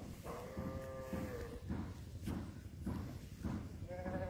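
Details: A new bull at Silai Inathganj gives one drawn-out, steady tonal moo of about a second and a half. Short bursts of background noise follow, and another call begins at the very end.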